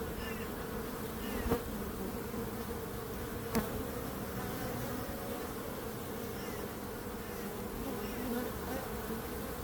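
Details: Many bees buzzing together in a steady, dense hum, with a low drone and a brighter band around the middle pitch; two brief sharp clicks stand out near the start.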